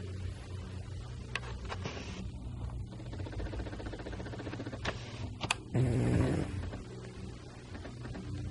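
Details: Pet cat sleeping and snoring indoors, soft rhythmic rasping breaths repeating steadily, with a louder snorting burst near the sixth second before the gentle snoring resumes.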